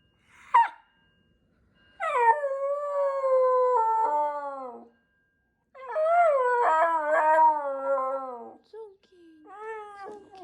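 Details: A Shiba Inu screams at a fire alarm, giving long, wavering, howl-like screams after a brief yelp.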